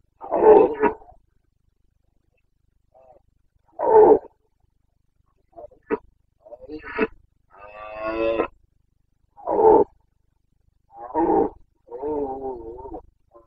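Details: Carpathian red deer stag in the Bucovina mountains during the September 2022 rut: a long run of hoarse roars and shorter grunts, some rough and rolling, separated by brief silences.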